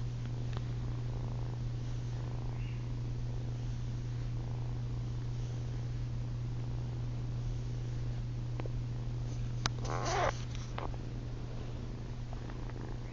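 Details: Female kitten Ollie keeps up a low, even purr at night as she tries to suckle on her owner's chin; the rumble runs unbroken, and a short rustling burst interrupts it just past the middle.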